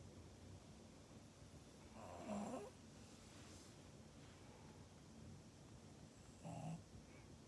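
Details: Maria, a Pug in Japan, recorded on 24 January 2021, gives two loud, rough snoring snorts about four seconds apart, each lasting under a second, over a quiet indoor background.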